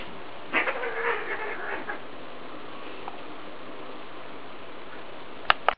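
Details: Scottish Fold cats, an adult and a kitten, play-wrestling: a brief, harsh, strained vocal burst, then quiet with a sharp knock at the end.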